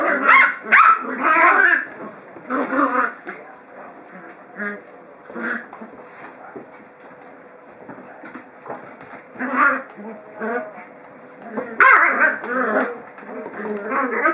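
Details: Seven-week-old Kromfohrländer puppies sizing each other up in a play fight: bursts of high yaps, squeals and small growls come in clusters separated by quieter stretches of low grumbling.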